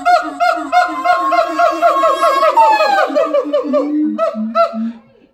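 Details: Siamang mother and father duetting at the Los Angeles Zoo. A loud, rapid series of harmonic barks runs into a gliding wail, then slower hoots trail off at the end.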